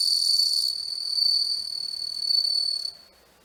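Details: Singing bell cricket (Homoeogryllus japonicus) shot at macro range: clear high-pitched ringing trill, loudest at first, swelling twice more before stopping abruptly near the end, leaving quiet.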